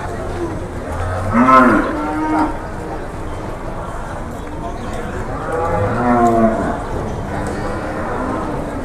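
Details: Jumbo cattle at the Jelok cattle market in Boyolali, Indonesia, in the morning; two deep drawn-out moos, one near the start and a longer one around six seconds, over steady market background noise.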